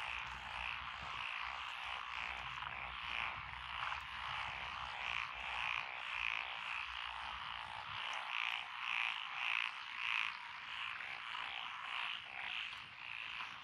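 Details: Lotus paddy frogs near a rural road in Echizen, Fukui Prefecture, Japan, on 12 June 2021. Several species call together in a thick chorus, with rhythmic croaks swelling in waves at nearly two per second above a steady background trill.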